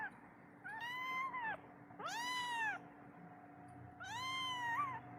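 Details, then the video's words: A kitten whose mother has gone away cries for her to come and feed it, giving three loud, arched meows about a second apart, with a constant low electrical hum behind them. "suara anak kucing memanggil ibunya minta susu"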